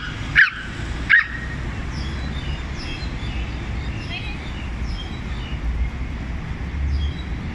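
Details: Several small dogs gang up on one big dog, barking at it in turns: two sharp, loud barks land in the first second and a half, followed by fainter, higher yelping sounds over a steady low rumble of background noise.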